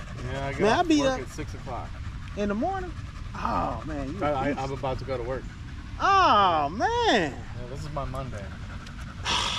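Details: Male Staffordshire Bull Terrier chatting with other male dogs during a long evening at the park: drawn-out, bending howl-like whines that swoop up and down, loudest near the middle, with panting and low background rumble between.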